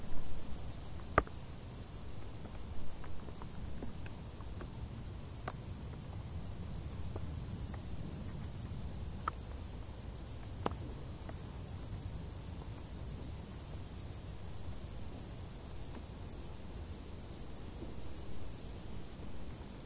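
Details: High, even trill of crickets chirping from tall grass in the hot summer, pulses running without pause, with a few sharp ticks early on and a low, steady rumble beneath.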